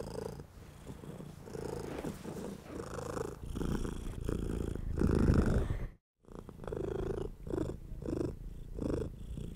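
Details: Purring of a domestic cat during stroking, a rich rhythmic rumble in repeated breath cycles with a short silent break midway, and hand-on-fur rustles layered over the purr.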